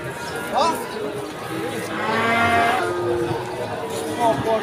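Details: A cow lows amid the bustle of the Pon Ambarawa cattle market, Ramadan 2024. A long wavering moo swells near the middle, with shorter bellows around it, all partly masked by crowd voices and chatter.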